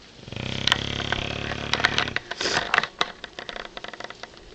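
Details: Tank, a bulldog deep in sleep indoors, gives a long buzzy harmonic snore lasting about two seconds, followed by snorting and smacking clicks.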